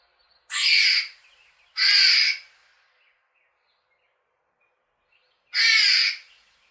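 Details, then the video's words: A squirrel calls outdoors with three coarse, hoarse chirps: two in quick succession, then a pause of about three seconds before a third. The surroundings are otherwise silent. "Squirrel Chirping"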